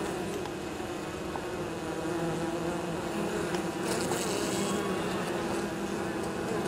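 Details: Honey bees coming back to the apiary with pollen and nectar on an unusually warm 23 October; a dense, even hum of many wings under a hissy background, with a brief brighter rustle near four seconds.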